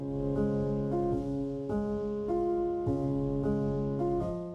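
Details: Gentle piano music with slow repeated chords and sustained notes; no animal sound is heard.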